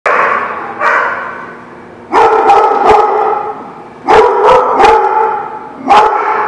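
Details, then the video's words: Dogs at a barking lot, recorded on 2/3/17, give loud, harsh, overlapping barks that surge in bursts roughly every two seconds over a steady din of barking. "The Barking Lot"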